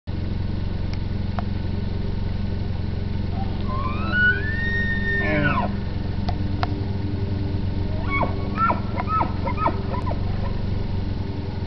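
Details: Elk (Cervus canadensis), bugle.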